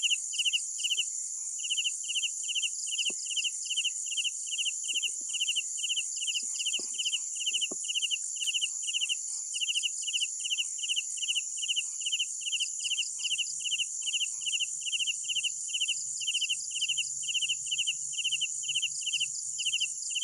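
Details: Night crickets chirping in steady, rapid pulsed bursts, high and bright, with a continuous shrill insect hum above and a faint low rumble later.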